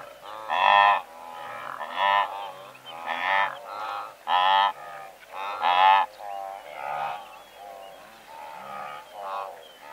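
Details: Several hundred blue wildebeest in a herd, recorded at medium close range: loud, harmonic honking calls in bursts roughly every second, with quieter callers behind and faint bird chirps.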